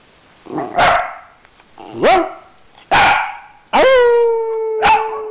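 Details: Dog rooing: a few short rough barks, then a long, loud, clear howl that rises quickly, holds steady and fades slowly, followed by one last short yelp.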